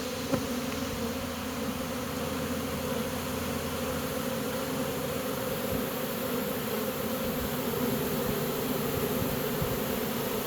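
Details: Honey bees from a swarm moving into a new home: a long, unwavering low buzzing drone, with one sharp click near the start and a slight rise in volume toward the end.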